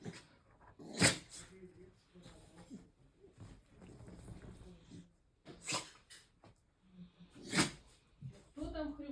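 Three abrupt, breathy sneezes from a beagle burst out several seconds apart, each a short hissing snort. Between them, people murmur in conversation indoors.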